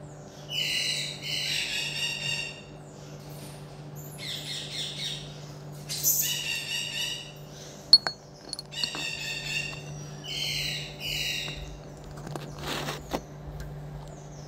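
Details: Captive pet common marmoset repeating short shrill bursts of harsh, buzzy calls roughly every one to two seconds, mixed with a few sharp knocks and clicks and a low steady hum.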